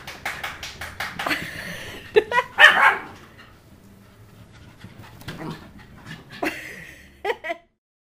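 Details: Wet puppies just after a bath, kept indoors; short sharp barks and yelps in bursts, loudest near three seconds, with a person talking between them.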